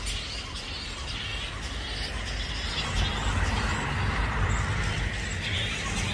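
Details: Grey-headed flying-fox colony of more than 5000 bats roosting in Balgowlah, Sydney, Australia, early afternoon: a thick wash of screechy, overlapping chattering calls that never pauses, backed by low road noise.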